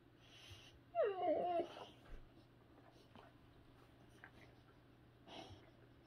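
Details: Sammy, a boxer dog, indoors in the morning, refusing his breakfast while another boxer eats it, lets out one short, wavering whine-like grumble lasting about half a second, then quiet room hum with a faint later murmur.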